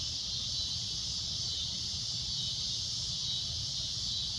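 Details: Cicada droning at sunset: a loud, shrill, unbroken high buzz holding steady throughout, with a faint low rumble underneath.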